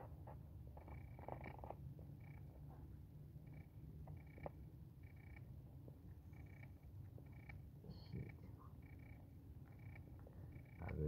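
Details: Domestic cat kept at home purring in a steady, low, continuous rumble throughout, with faint short high tones recurring in the background and a brief louder noise at the end.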